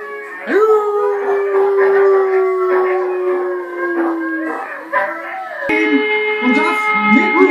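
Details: German Shepherd howling: a long drawn-out note that sags slowly in pitch over about four seconds, followed by shorter wavering howls, over a steady droning tone in the background.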